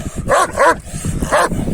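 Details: Kangal dogs, males trying to win over a female dog, giving three short, harmonic barks: two in quick succession, then a third after a brief pause, with faint background rustle.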